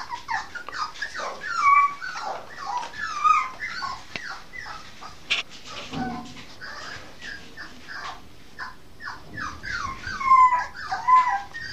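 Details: Female Norfolk Terrier pup at eight and a half weeks, 5 May 2015, whining persistently: falling whimpers in quick series, occasional sharp yips and high thin squeals, with a brief thump midway.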